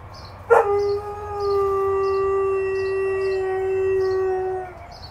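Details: Reacting to sirens, an 8-month-old Alaskan Malamute gives a single long howl, starting with a sharp attack and then holding a smooth, steady tone for about four seconds, with faint rhythmic high beeps in the background.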